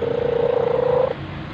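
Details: Orange domestic cat that purrs while eating, sleeping and playing; a steady, finely pulsing low hum holds for about one second, then fades to quiet background hiss.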